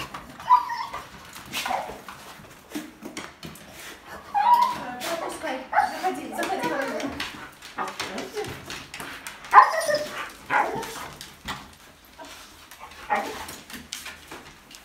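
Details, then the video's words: Vilma, a pet husky, meets a baby up close for the first time, happy yet gentle and careful. High whiny whimpers and a few short barks come in bursts, with people talking throughout. "Husky meets baby for the first time | Funny Dog reaction and Baby reaction"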